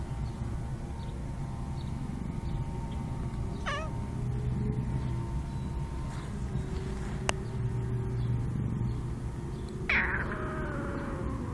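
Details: Domestic cat named Tigs, wanting to say hi, gives a short wavering meow around four seconds in, then a longer drawn-out yawning meow near the end, all over a steady low rumbling hum.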